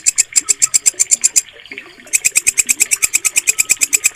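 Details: Walang kecek katydid used by bird hobbyists for mastering. Crisp, buzzy pulses repeat quickly, stop for about half a second, then resume at the same pace, while faint twittering lies beneath.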